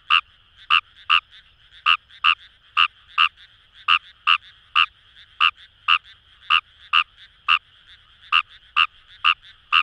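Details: Paddy-field chorus at Itoshima, Fukuoka, Japan, led by Fejervarya kawamurai: crisp rattling croaks repeated two to three times a second, some in quick pairs, with a low murmur of further callers.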